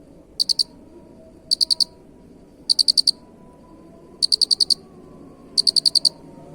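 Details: Cricket chirping as a master sound for training songbirds: five crisp, high-pitched chirps, each a quick burst of four or five pulses, spaced a little over a second apart over a low steady background hum.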